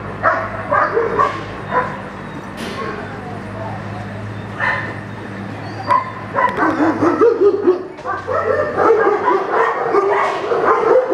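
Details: Echo, a young German Shepherd practicing a Schutzhund 1 blind routine in protection training, gives a few scattered sharp barks at first, then a dense, rapid run of loud barks in the final seconds, over a steady low hum.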